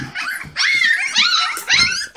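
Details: English Springer Spaniel puppies, indoors and eating puppy mash, give high, thin, wavering whines and squeals in quick overlapping bursts while a person talks nearby.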